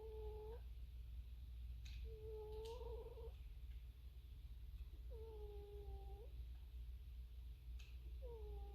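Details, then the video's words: Snoring cat indoors: a steady, flat, whistled tone with a fainter overtone, each lasting about a second and repeating roughly every two to three seconds like breaths, over a constant low hum. "cat snoring"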